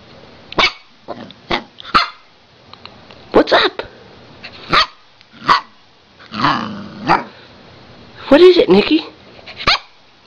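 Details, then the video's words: Pet Siberian Husky, female, seemingly wanting to tell her owner something, giving short sharp barks and grumbling vocal bursts scattered over ten seconds, with a longer howl-like moan near the end, while her owner keeps asking what she wants. "Husky- Bark and Bite"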